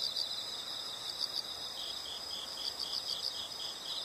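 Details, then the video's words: Soft, high-pitched insect trilling with a few brighter pulsed notes sits over a steady hiss of background noise. "the sound of insects"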